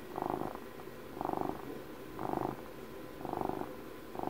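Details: Purring of an elderly domestic cat, a household pet marking its twelfth birthday, heard very near: a regular rumble cycling louder and softer about once per second, five even swells over a quiet hiss.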